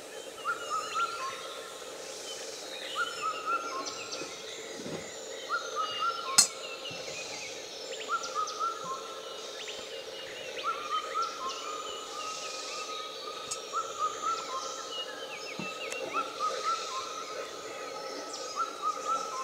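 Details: Gibbons, probably two, singing from the crown of a dry tree in Laos, 2013: clear, slightly rising whistled notes repeated in a steady series, with a cuckoo calling alongside and interfering.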